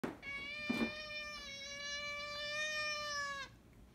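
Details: A cat gives one long, steady, drawn-out meow lasting about three seconds, rich in harmonics and held at an even pitch before stopping abruptly, with a brief rustle near the start.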